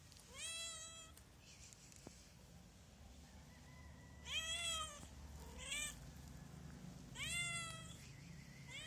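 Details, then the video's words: A hungry stray cat meows loudly outdoors: four drawn-out, harmonic-rich meows, each about half a second to a second long, separated by quieter gaps, with a low steady hum of background noise underneath. "Poor cat is very hungry"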